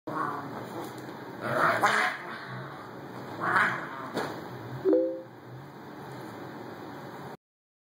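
A Boxer puppy makes a few raspy, honking grunts, then a brief tonal whine near the end.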